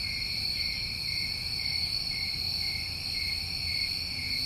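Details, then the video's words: New England crickets in summer keep up a continuous high-pitched ringing trill, several insects overlapping into an even drone, with soft low-frequency rumble underneath. "Tinnitus Masking With Crickets"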